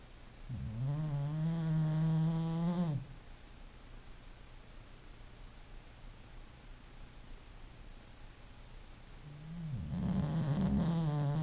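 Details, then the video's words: Asleep, an English Bulldog gives two drawn-out, low, buzzing snores about seven seconds apart, each a droning rattle slightly rising in pitch, separated by a stretch of near silence. "a snoring bulldog"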